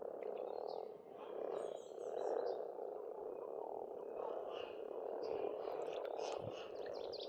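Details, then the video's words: Spring frogs calling together at a pond in Estonia, a steady low rattling chorus swelling and easing every second or two, with scattered high bird whistles and chirps over it. "Расслабляющее пение птиц и лягушек, весна, природа."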